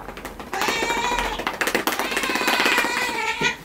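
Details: Domestic cat having its claws trimmed, one of fourteen cats groomed indoors: a long, drawn-out wailing meow with a steady tone lasting about three seconds, over sharp clicking noises and a person's voice.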